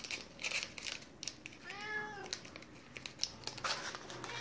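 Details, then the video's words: Siberian cat meowing softly to get a 'chocolate' treat stick: one short, gently rising and falling harmonic mew in the middle, surrounded by sharp crinkling and clicking sounds and a woman's voice in a small room. "Funny Siberian cat meowing softly to get the 'chocolate' stick"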